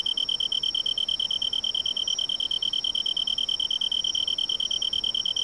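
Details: Tree cricket in autumn, in woods beside a large river, giving a sustained pure high trill beaded into quick, regular pulses roughly three per second, with no other sounds intruding.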